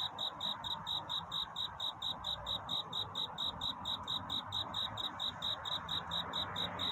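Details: Night-time courtship song of a cricket in a predawn setting: evenly spaced, high-pitched chirps pulse on without pause, clean and metallic, with a gentle hiss and low background murmur beneath.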